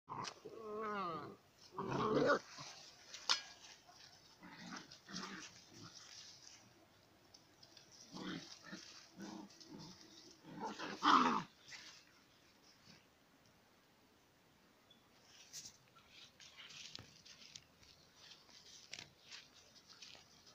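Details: Romanian Mioritic Shepherd Dog at play with a stray dog, giving scattered rough growls and short harsh vocal bursts. The loudest come near the start and around eleven seconds, with quieter stretches and rustling between them.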